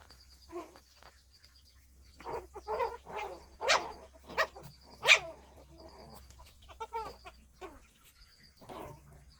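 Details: Shih Tzu dogs in daytime, playing and eating, give about eight short, sharp barks at irregular intervals over nine seconds, some single and some in quick pairs, over a faint steady high-pitched electronic whine.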